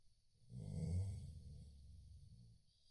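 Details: Chow Chow snoring in its sleep, one deep rumbling snore rising and slowly fading over about two seconds.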